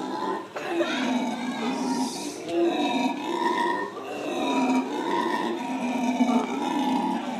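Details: Morning chatter from a captive family of black howler monkeys at San Francisco Zoo: low throaty grunting calls in irregular swells, several voices overlapping with rough harmonic tones.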